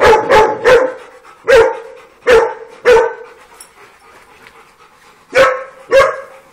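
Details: Dogs playing together on a farm, barking in a quick triple, then spaced single barks and a final pair, eight barks in all with quiet gaps between.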